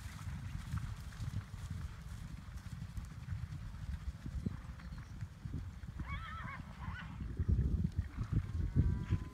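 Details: Wild horses of the Challis herd in Idaho, rescued after a 2012 helicopter roundup and now free on a preserve: a wavering, harmonic whinny around the middle, a second shorter one near the end, over thudding hooves and low rumble.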